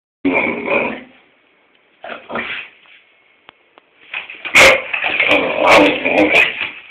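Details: Springer spaniel named Tobi indoors, barking at its owner for no reason; a few short harsh barks and whines with pauses between, ending in a louder cluster of sharp yelps and barks.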